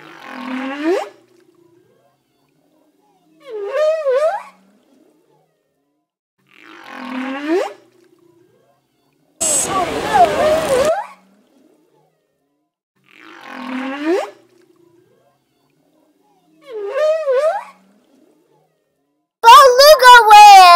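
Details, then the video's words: Beluga whale in an aquarium at Niagara Falls, Ontario, Canada: short warbling, bending squeals with wavering pitch, repeated roughly every three seconds, interrupted by a loud broadband burst midway and another at the end. "Videos of Funny Beluga Whale Learn Names, Sounds Of Sea Animals"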